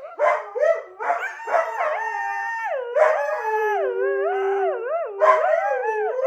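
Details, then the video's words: Dog reacting to a siren with a few short yips that build into a drawn-out, wavering howl, the pitch sliding and undulating in smooth loops, another yip rising near the end. "Wait for the siren 🚨 it’s worth it!"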